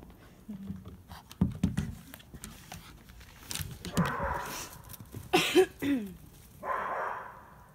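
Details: Toy Poodle Lola, dressed up for Halloween 2018 and excited and hyper, lets out a few short, sharp barks at scattered moments among handling noises and a person's talking.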